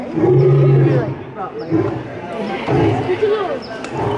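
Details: Hubert, a male lion born in 1999 at Lincoln Park Zoo, roaring at the LA Zoo: a deep, low, sustained grunting roar in the first second, over a constant babble of visitors' voices and children's calls.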